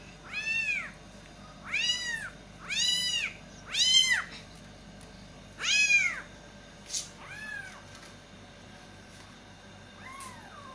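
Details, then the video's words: Kittens call urgently for their mother cat, a run of five loud, wailing meows about a second apart, followed by several fainter, shorter cries that trail off. "angry Baby kittens meowing loudly for mom cat | kitten calling mother cat"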